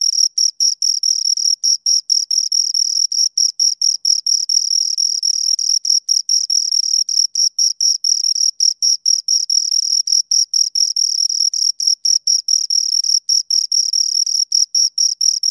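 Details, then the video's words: Pair of crickets producing continuous stridulation: rapid, shrill pulsed chirps packed closely together, over two per second, nearly unbroken across the stretch, clean background without other noise. "Two Crickets Chirp Sounds"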